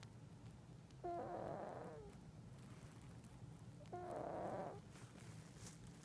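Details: Pet cat asleep and snoring: two rough, breathy snores about three seconds apart, each starting with a short whistling squeak, against a quiet low background hum.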